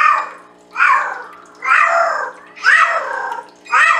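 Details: Female Bengal cat Penny singing her song to the boys: loud, rough, rising-and-falling meows repeated about once a second with little pause between them, in a small indoor room.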